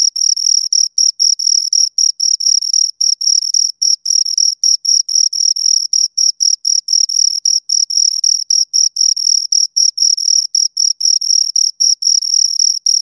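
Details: Two crickets stridulating nonstop, a bright high chirping pattern of short trilled bursts repeating roughly four times a second, steady volume throughout.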